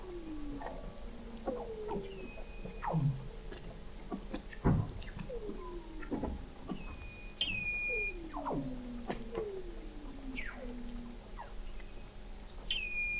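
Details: Under the sea ice of McMurdo Sound, Antarctica, in November 2017, Weddell seals sound from an observatory 21 m below: a rapid series of descending chirps repeated about every second, with high steady whistles and downward sweeps layered above.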